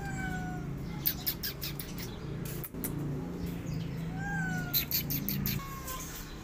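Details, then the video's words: A mother cat protecting her kittens from a feral cat, both cats growling at each other: a low, steady, continuous rumbling growl that wavers slightly in pitch throughout, with faint high bird chirps and short clicks in the background. "Mother Cat Protecting Her Kittens From A Feral Cat Both Are Growling At Eachother"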